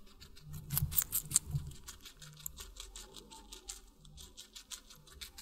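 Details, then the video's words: Guinea pig eating watermelon, a rapid run of soft crunchy chewing clicks with a low steady hum underneath, bites bunched irregularly, loudest in a burst near the first second. "Guinea Pig Eating Water Melon"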